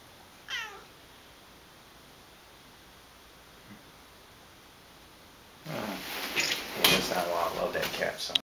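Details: Misty, a pet tortoiseshell cat, giving attitude first thing in the morning indoors: one short, clear meow that slides downward near the start, then a long quiet stretch before human talking and rustling noises fill the end.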